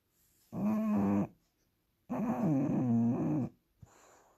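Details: Bulldog snoring indoors: two long, rasping, throaty snores of about one and one and a half seconds, low buzzing with a wavering pitch, separated by quiet breaths.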